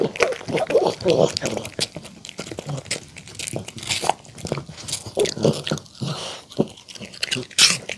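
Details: A poodle eats a homemade chicken tender salad with apple, carrot and cabbage, chewing noisily with wet crunches and sharp clicks of biting close to the ear.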